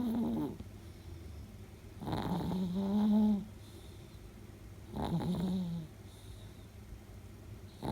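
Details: A 10-year-old female Chihuahua and Shih Tzu cross asleep with her tongue sticking out; she snores in a deep, human-like way, with three rough, humming snores that rise and fall and come about every three seconds.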